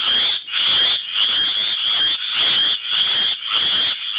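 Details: Chorus of tree frogs calling for mates: a steady, high, trilling wall of sound broken by brief dips about every half second, with many frogs overlapping.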